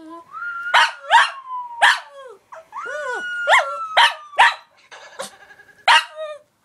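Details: A Pekingese cries in response to a puppy-whistle video, giving a run of high, nasal whines that slide and waver in pitch, punctuated every second or so by short, sharp yelps.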